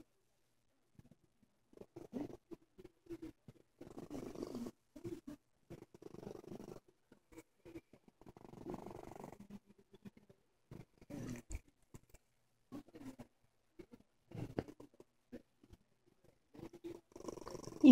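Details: A sick domestic cat purring quietly and close in low, rumbling bursts of one to two seconds separated by short pauses, with a brief sharper sound right at the end.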